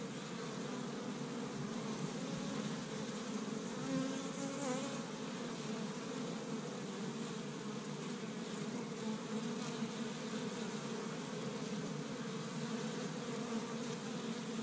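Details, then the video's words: Honey bees streaming around their established hive in Michigan on spring's first warm day, foraging tree-bud pollen; a long, even, resonant hum of many wings, constant in pitch, with a momentary louder buzz near the start. "See Busy Honey Bees Active in the Spring"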